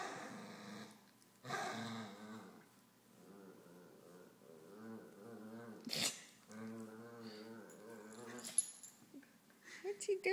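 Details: Roscoe the dog makes a weird noise indoors: long, wavering, moaning growl-grumbles with pulsed harmonic rhythm, repeated over several seconds, broken by brief sharp sounds and some background clatter.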